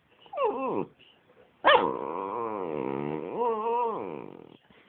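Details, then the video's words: Pet dog making funny noises: a short falling whine, then a sudden yelp opening into a long, wavering, growly moan that rises and falls for about three seconds, with a person's voice heard briefly near the start. "Lustiger Hund Rocky macht komische Geräusche"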